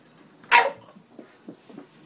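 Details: Moe, a Boston Terrier, worked up while trying to play with a cat toy indoors, lets out one short sharp bark followed by a few soft low sounds in a quiet room.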